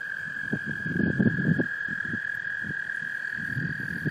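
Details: Breeding American toads in a small pond in Laurens County, South Carolina, USA, March 2014, where males call in females: a long sustained even trill runs through the whole recording over scattered low knocking and splashing sounds.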